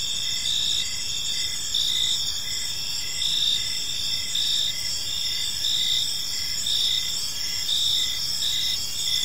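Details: Evening cricket chorus in a quiet park: continuous high-pitched ringing trills from several insects, with a softer pulsed chirp beneath repeating steadily throughout, and a low environmental rumble.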